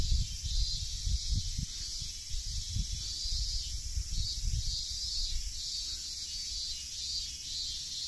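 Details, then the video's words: Many unseen cicadas in trees along a coastal nature trail in Tsuyazaki, Fukutsu, Fukuoka, Japan, on a hot late-August 2023 day fill the air with a steady, high, hissing drone that pulses in gentle waves. "【夏】セミの鳴き声を聞くだけの1分動画"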